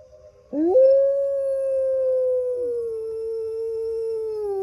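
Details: Captive gray wolf howling on a misty morning at Turtle Lake in a wolf park, the pack answering from afar: a loud, pure sustained note, swooping up at the onset and holding level before easing slightly lower.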